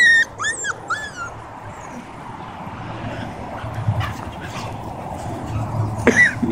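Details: Siberian huskies in Oregon during family time: three quick, high, arching whines in the first second, then a long stretch of low rustling background, ending in a sharp yelp with a whine near the end; a person greets the dogs.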